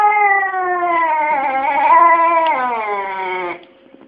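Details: Talking pet cat Kesha voicing its complaints: a single sustained, wobbling, nasal meow lasting about three and a half seconds, fading into room quiet.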